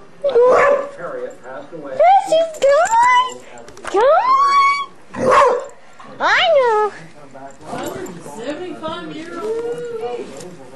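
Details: Playful pet female dog named Precious making fierce-sounding play noises: about six loud bursts of rising, yelping whines and warbling cries over ten seconds, with a person talking quietly in the background.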